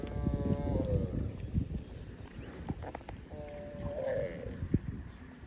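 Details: Cow grazing in a field gives two drawn-out, tonal moos about a second long each, separated by a short pause, with crunching grazing noises and low rumbling background throughout.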